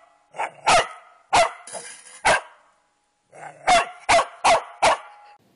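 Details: Corgi barking in a home pet compilation: short, sharp barks, three in the first two seconds, then a pause and a faster run of four barks about a third of a second apart.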